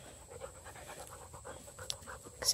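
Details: Redbone Coonhound puppies mauling a blue hippo toy together, heard as quick rhythmic panting pulses, roughly several per second, ending in a louder burst of noise.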